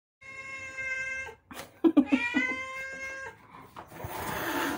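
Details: A visiting black stray cat gives drawn-out, tonal wailing calls: one long, even cry, a pause, then several quick clicks and a second long wavering howl that ends in rustling noise.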